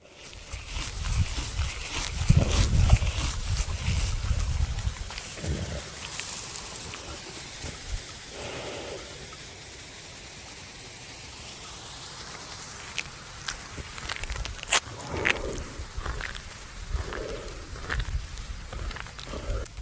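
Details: Buffalo lying at rest at noon in a farmer's field, chewing the cud: dull, low, irregular crunching and grinding repeated several times a second, strongest early on, with faint rustles and scattered sharp clicks around it.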